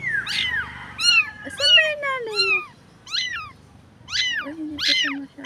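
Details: Stray street cat described as dirty and in need of help, crying with short high arched meows repeated roughly every second, several overlapping, with a woman's voice speaking softly in between.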